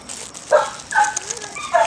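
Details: Dog near a spot where treats are found, giving short high yelping calls, three tonal yips spaced about half a second apart with faint household background.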